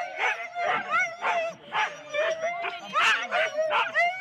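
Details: Husky teams of four dogs at a sled race start in Rendlesham, January 2016: excited dogs barking and yelping in rapid overlapping bursts, several high whining tones rising and falling between barks.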